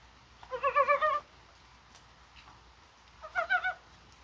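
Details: Korean brown frog calling in rain on a mild January 21st, perhaps spawning: two short runs of quick, hollow, chuckling pulses roughly three seconds apart, with quiet rain-like background between.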